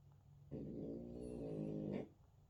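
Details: French Bulldog snoring while asleep: a single long, buzzy, rattling low snore of about one and a half seconds, rich and droning, against a quiet indoor background.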